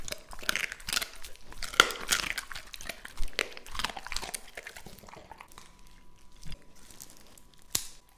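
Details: Lucky, a two-and-a-half-year-old English Labrador Retriever, eating raw meat indoors; wet crunching, tearing and biting bursts come in irregular clusters, with a faint steady hum in the background.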